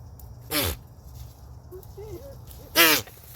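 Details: Goat. Two loud, rough bursts from a goat in rut, like forceful sneezes or snorts, each with a raspy, buzzing tone. Faint squeaky, wavering notes fill the quiet gap between them.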